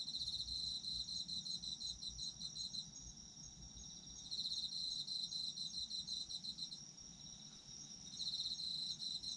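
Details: High, fast-pulsed trilling of autumn insects meant for sleep, loud at first, quieter through the middle, returning strongly twice, layered over a constant high ringing and soft low rumble.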